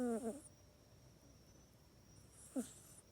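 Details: Pet cat sleeping in its own bed at night, captured on an iPhone 8, giving two brief nasal snores, one at the start and a shorter one near the end, with near silence in between.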